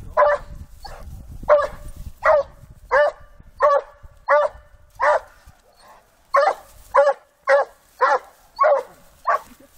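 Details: A Rhodesian Ridgeback barks at wild boars in a steady series of loud, gruff, mid-pitched woofs.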